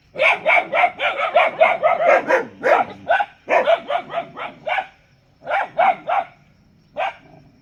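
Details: A dog barks in fast, closely spaced volleys of about four per second, then breaks into shorter groups of two or three barks with gaps between.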